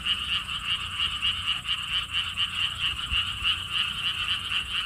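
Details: Chorus of frogs at a lotus pond park in Siheung, Korea, giving fast, evenly pulsed buzzy croaks in an unbroken stream, steady and loud throughout with a quiet background.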